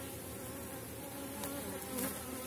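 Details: Honey bee colony humming over a frame of honey and bee bread from an August hive; continuous broad drone with a few brief louder wingbeat passes.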